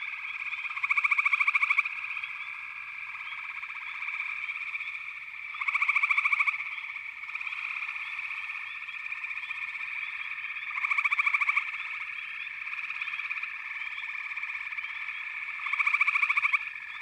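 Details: Frogs massed in chorus in a backwater. A constant pulsing trill is overlaid by a louder rattling burst lasting about a second, returning roughly every five seconds.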